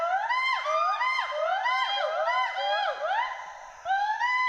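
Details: Western hoolock gibbons, two animals swinging and playing in trees at Hollongapar Gibbon Sanctuary, Assam; rapid overlapping whoops sliding up and down in pitch, rising and falling notes repeated about three per second, some voices layered in a lively chorus.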